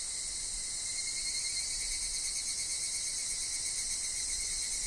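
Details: Higurashi (evening cicada) sound from a forest with wind and dropping leaves: steady dense high-pitched buzzing with a quivering texture and a faint thin lower tone, constant from start to finish.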